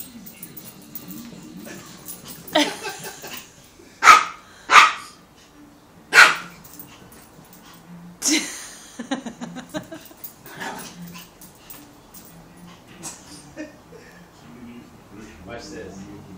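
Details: A rescued cream female Pomeranian gives sharp, high, yappy barks spaced a second or two apart while playing with a hookless fishing line, with soft speech nearby.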